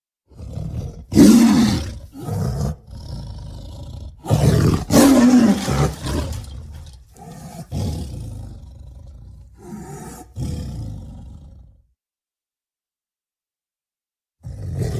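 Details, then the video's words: Tiger producing repeated deep, rough roars and growls in uneven bursts over twelve seconds, followed by a quiet pause and another roar starting at the end. "Tiger Sounds"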